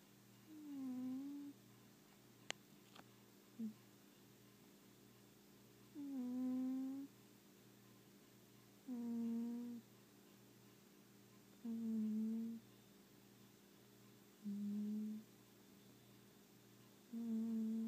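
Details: Pet cat snoring indoors, a breathy nasal tone with a short downward slide at each breath, roughly every three seconds, quiet room with a faint steady hum between breaths.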